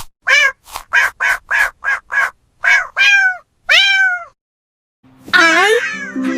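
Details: Cat meowing in a rapid run of about nine short mews, then two longer arched meows that rise and fall, followed by a brief musical jingle after a pause.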